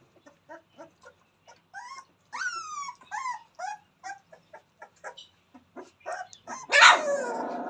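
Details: Newborn Rottweiler puppies, Jerry's new litter, playing together: a run of thin, high whimpers and yips, several sliding downward in pitch, some spaced about a third of a second apart, ending in a louder squealing yelp.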